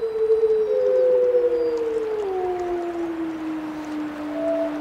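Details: Overlapping wolf howls: a strong, sustained tone sinks gradually over several seconds while a second voice holds higher, then a thin higher howl enters late. Steady soft hiss beneath.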